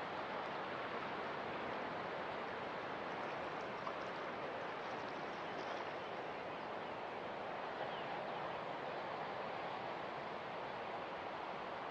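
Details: Continuous broadband wash of waves or surf, even and unbroken, with no animal calls.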